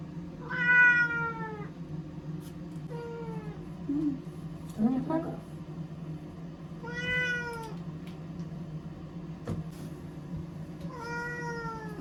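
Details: Frightened ear-tipped community cat, Chanta (formerly Nyaa), crying while caught and sheltered in a bathroom as powerful Typhoon No. 10 approached Okinawa, September 2020; four loud drawn-out meows with falling tails and a short squeak between, over a steady low hum.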